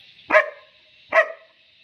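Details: A German Shepherd puppy, trained to bark on the "watch" command when a stranger approaches, answers with two loud, abrupt barks nearly a second apart; the handler repeats the command around them.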